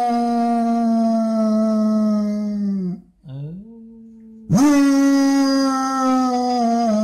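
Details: Basset hound dog howling in the morning indoors: a long, steady, mournful howl held for about three seconds, a brief dip to a quieter lower tone, then a loud renewed howl sustained to the end.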